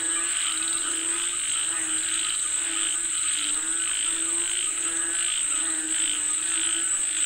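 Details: Frogs calling for rain in a busy chorus: rough, pulsed croaks rising and falling in bursts roughly every second, over a continuous high-pitched buzzing background.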